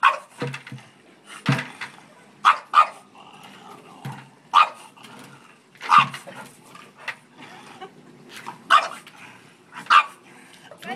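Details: Charlie the French bulldog goes after a bucket full of dog hair with a steady string of short, punchy barks and yips, roughly one every second or two, over eleven seconds.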